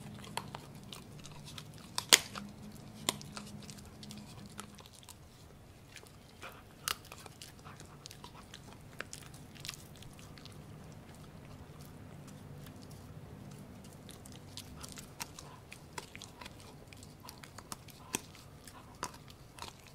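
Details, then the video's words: Gureum, a Pomsky dog (Husky and Pomeranian cross) born 7 December 2018, eating pork indoors. Sparse sharp crunchy bites and wet chewing clicks stand out over a quiet room with a low steady hum. "맛있는 돼지고기 먹방"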